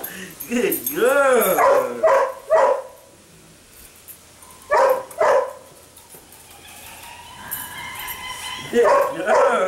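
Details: Eight-week-old female sable puppy making bent, whiny yelps in a quick cluster at the start, then a pair of short cries mid-way and more near the end, with a person's praising voice and background music between them.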